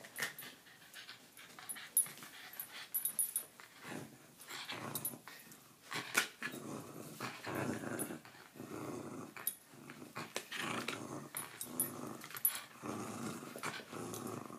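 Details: Jack Russell Terrier growling while playing tug with a toy. Rough, raspy growls come in uneven bursts through much of the stretch, with brief sharper yips and a few soft knocks between them.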